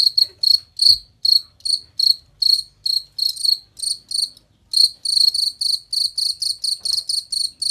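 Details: Cricket recorded as birdsong training material for songbird contests, giving shrill high chirps roughly two per second, a short pause midway, then a faster, denser run of ringing pulses toward the end.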